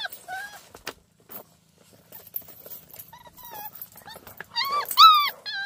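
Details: Hunting dog puppy, a countryside mixed-breed dog, giving high, thin whimpering whines and yips in short rising-and-falling bursts, scattered at first and then louder and more insistent near the end, in a quiet setting.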